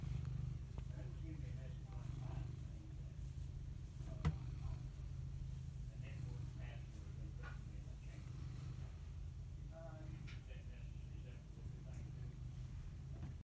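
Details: Cat purring in a continuous, steady low rumble that pulses evenly for the whole stretch, with soft indistinct voices murmuring faintly in the background.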